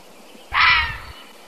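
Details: Single hoarse, screechy fisher cat cry of about half a second, strong and slightly descending at the end, set against a quiet, still background.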